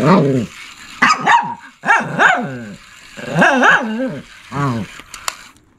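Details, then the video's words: Shih Tzu barking and growling: a run of short, yodelling, whiny barks in uneven clusters, some doubled, with rising-and-falling pitch and brief pauses between bursts. "Shih Tzu Barking And Growling"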